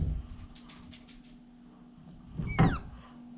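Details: Siberian Husky puppy playing in a pen indoors gives one brief high whine that slides downward, rich in overtones, amid soft pattering, scuffing and dull thumps of movement.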